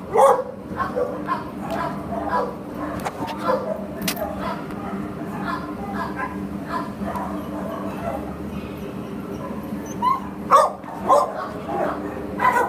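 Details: Labrador Retriever in an adoption shelter barks intermittently, soft scattered woofs then a louder cluster near the end, with voices and a steady hum in the background.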